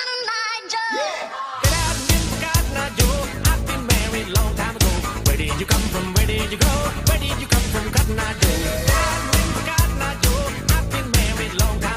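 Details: Upbeat pop music with a strong steady beat and singing plays throughout after a brief quieter opening.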